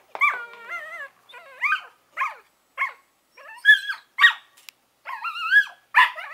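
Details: Collie puppies Norris and Amica, eleven weeks old, vocalising: high, wavering whines and short yips in a chattering series of rising and falling notes, with brief pauses between bursts.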